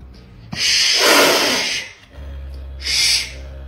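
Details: A pet caracal indoors, wanting to go outside, gives a loud, breathy, hissing call lasting over a second, then a second shorter rasping burst after a brief pause; a low steady hum underlies it.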